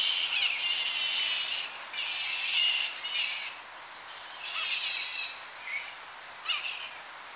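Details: Tonga flying fox colony at evening, young bats squabbling close by: shrill, harsh screeching bursts lasting up to a second and a half, then shorter squeals and thin whistles scattered over several seconds, with slight wind in a tree.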